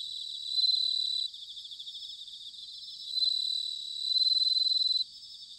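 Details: Bell crickets singing in autumn, recorded in Sanuki, Chiba, Japan: high ringing pulsed trills, with a steadier bright tone layered on top; loud bursts near the start and again from the third second, several insects overlapping, no other sounds.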